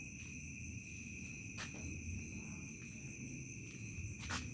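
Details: Crickets chirping at dusk and into the night in a remote village: two steady, unbroken high shrill tones hold throughout over a low rumbling background, with brief sharp clicks near the middle and end.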